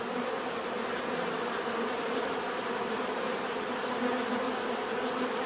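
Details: Many bees buzzing naturally, a thick continuous drone with steady low hum bands and a faint, evenly pulsing high-pitched tone running over the top.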